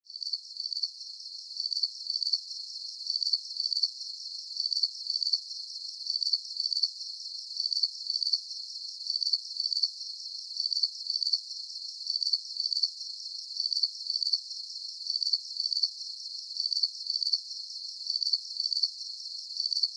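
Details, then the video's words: Crickets chirping at night in a calm sleep soundscape: high, shrill pulsed chirps in short bursts, repeated steadily about once a second with a faint continuous shimmer underneath and no other sounds. "Calming Cricket Sounds"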